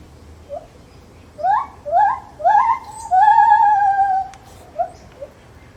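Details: Zoo-kept lar gibbon giving a rising series of short upswept hoots that build into one long, sustained, gently falling wail, followed by a few softer trailing notes over a quiet background.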